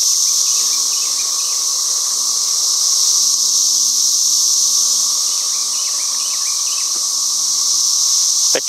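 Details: Loud chorus of cicadas that emerge from holes in the ground, a dense, continuous shrill buzz that never pauses, with a quieter steady lower tone beneath and brief faint chirps mixed in; a sharp knock at the very end.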